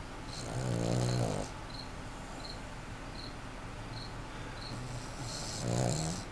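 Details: A pet puggle snoring loudly while asleep: two long, low, buzzy rattling snores about five seconds apart, with quiet breathing between and a steady high chirping from insects in the background.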